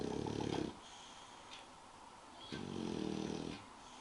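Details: Sleeping English bulldog called Spike: the end of one gravelly snore, a quiet pause, then another buzzing snore lasting about a second.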